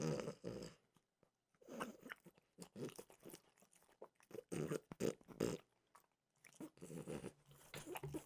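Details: Crunchy chewing from Mimosa, a French bulldog, eating peanut butter dog treats: clusters of crisp bites and mouth sounds, with short silent gaps between them, heard close up inside a small room.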